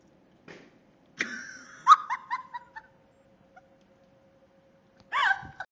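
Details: Two-year-old Norwegian Elkhound named Tank, playing with a balloon found in the backyard, gives a breathy squeal that breaks into a run of short yelping whines, then a brief whimper after a pause. A faint steady hum sits underneath.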